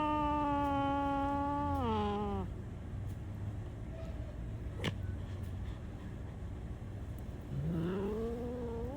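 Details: Black cat giving long, drawn-out meows: a steady, level wail for about two seconds that drops in pitch at the end, a quiet pause, then a shorter rising meow near the close.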